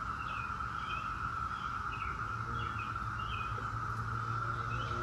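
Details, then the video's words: Constant buzzing whine of a Brood X periodical cicada chorus, the 17-year brood, level and unbroken, with repeated short bird chirps overhead and low rumbling noise below. "17-Year Cicada Brood X Sounds"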